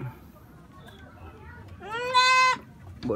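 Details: Goat kid calling as freshly cut grass arrives, keen to be fed: a single loud, quavering, nasal bleat lasting under a second, steady in pitch, with a man's voice and faint rumble around it.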